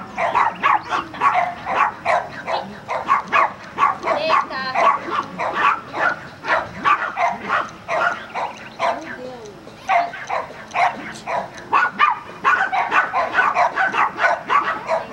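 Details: Border Collie at agility training in Vale do Sol, Guapimirim, giving rapid bursts of sharp barks, a short lull near the middle, then more quick barking, with people speaking throughout.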